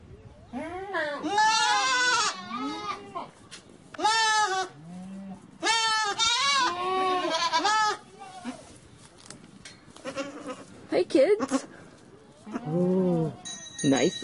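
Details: Several goats calling in turn, harsh quavering bleats with strong harmonics, some rising then falling, mixed with quieter short bleats and a faint steady tone near the end.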